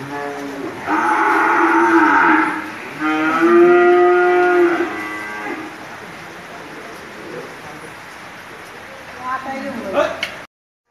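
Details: Big Qurbani bull at a dairy farm in Bangladesh, lowing: two long, loud harmonic moos back to back, the second deeper and steadier, then quieter background with people talking and a short rising sound near the end.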